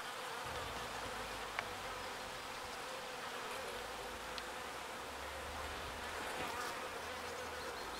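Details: Bees gathering pollen and returning it to their hive make a constant swarming drone, an even buzzy hum without pauses, with a few faint clicks and a soft low rumble underneath.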